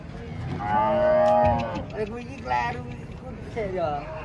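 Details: Cattle coming down off a truck during unloading: a long, loud, tonal moo of about a second, rich in harmonics, followed by two shorter, rougher lowing calls, with faint background noise.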